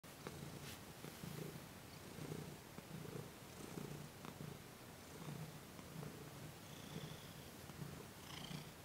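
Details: Domestic cat purring while receiving massage and Reiki on December 28, 2021; a soft, low, rumbling purr pulsing in steady breath cycles about twice a second, with faint background hiss.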